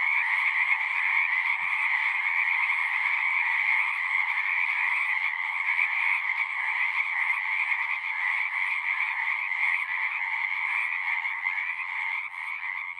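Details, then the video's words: Singing frogs in a natural setting, a thick, continuous chorus of rapid trilled croaks, about three pulses a second, in two stacked pitch bands, fading a little toward the end. "One hour of singing frogs."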